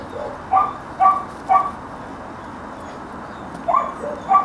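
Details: Pat, a young working dog, gives three evenly spaced sharp barks about half a second apart, a pause, then two more barks, over faint background noise.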